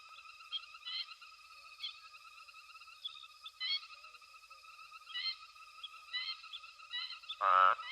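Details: Nighttime frog chorus at Hwange Safari Lodge, with elephants foraging close by; dense pulsing trills in stacked pitch bands, louder bursts swelling every second or so, and a short loud buzzy blast near the end.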